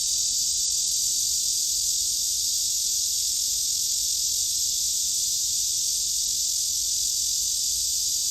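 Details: Black cicada in midsummer with a continuous, unbroken high-pitched screaming drone. It holds steady and loud throughout with no pauses, and no other sounds are clear.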